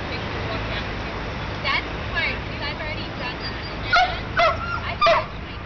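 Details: Dogs at play in a dog run in midtown Manhattan, New York City: three sharp, short barks in quick succession near the end, over a steady murmur of human voices and city background noise.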